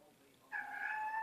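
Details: Cat talking to its humans with a long, even, tonal meow that holds steady to the end, coming right after a person's playful chatter.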